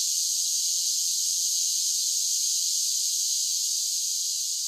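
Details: Cicadas on a summer day drone in a steady, unbroken high-pitched buzz that never pauses.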